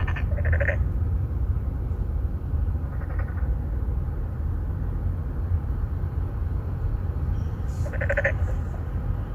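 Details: Several Boreal digging frogs calling to attract females in an apartment-complex pond in Incheon's Songdo, Korea, captured with a Galaxy Note9; short nasal buzzy calls at the start, a weaker one mid-way and another near the end, under heavy low rumbling noise.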